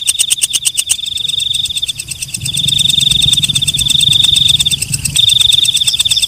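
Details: Walang kecek, or night grasshopper, calling at night with a brisk series of sharp, ringing clicks over a steady high whine, briefly pausing mid-sequence before resuming, with a low muffled rumble in the background.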